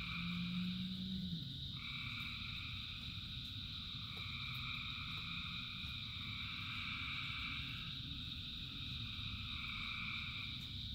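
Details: Frogs singing in rain by the thousands: layered droning trills that swell and fade, with a brief low croak near the start. Steady rainfall hisses beneath the chorus.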